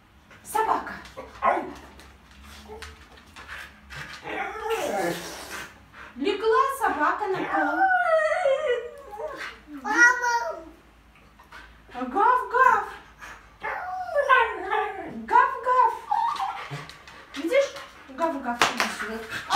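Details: Vilma, a pet husky near a baby for the first time, delicate and happy, produces long run of warbling, rising-and-falling whines and howl-like moans in repeated bursts, mixed with human voices throughout.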